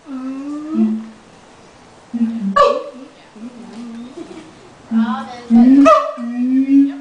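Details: Zoo siamangs in Los Angeles shortly before lunch, male in the lead, giving a series of steady hooting notes broken by sharp rising whoops and short barks, in bursts near one, three and six seconds.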